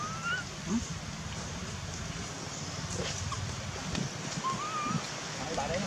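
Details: Dustin, a baby monkey in Cambodia who has lost his mother, screams for her while his brother David looks after him; two thin, wavering tonal cries, one at the start and one near the end, over steady low background rumble.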